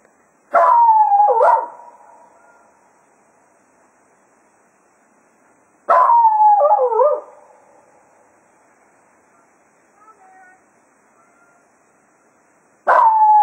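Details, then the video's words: At Quail Roost after foxhunting, Cato the Jack Russell Terrier howls farewell to the hounds. Three short, quavering howls come roughly six seconds apart with quiet gaps between them. "Cato Serenading the Hounds after a Day of Hunting at Quail Roost"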